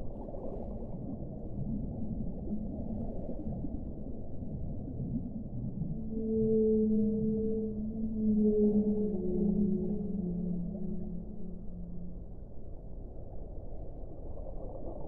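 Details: Whale sounds in a long relaxation recording: after a dull rumbling start, low drawn-out moans rise in at about the sixth second, layered with a fainter higher tone, sliding and wavering for several seconds before fading back into the murmur.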